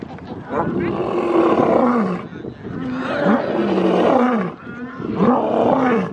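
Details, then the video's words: Lion of the African savanna giving a roar used to mark territory: hoarse, strained bellows with a rising-then-falling tone, three long surging calls close together, rough and breathy throughout. "Les secrets du rugissement du lion 🦁: libérer la puissance (cri du lion) | Lions Roaring Compilation"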